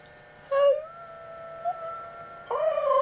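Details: Two Siberian huskies howl, egging each other on: a bright tonal howl breaks in, a long steady high note holds underneath, then a second wavering howl enters strongly near the end.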